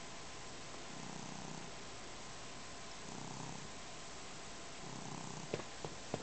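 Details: Domestic cat purring while kneading and drooling on a blanket indoors; soft low rumbling purr swells in three breathing phases about every two seconds, with a few sharp clicks near the end.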